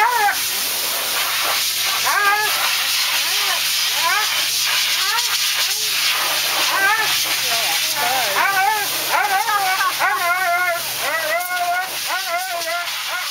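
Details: Thunder, a Siberian Husky, crying and howling while being groomed: a steady stream of rising-and-falling, wavering whines and yowls, repeated almost continuously, over a loud constant hiss of grooming equipment.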